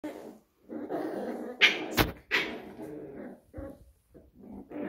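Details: Pembroke Welsh Corgi puppies of one litter at play: rough growly grumbles and short yelping yips come in uneven bursts, with a couple of sharp clicks or knocks between them.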